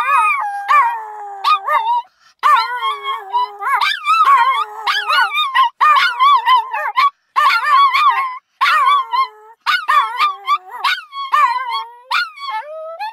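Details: Little dog named Pukki howling like a wolf, with its brother Flocke's shrill voice audible in the background; wavering, tonal howls rising and falling in pitch, broken by short pauses, several overlapping voices with sharp yelps between.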